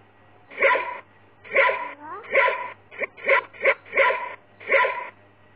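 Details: Puppies giving a series of about eight high, yelping barks spaced roughly half a second apart, with a brief whine between and a low steady hum beneath.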